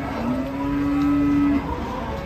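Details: Fierce cow resisting unloading from a truck while handlers hesitate; one long steady low moo held for over a second and cut off sharply, with faint background noise.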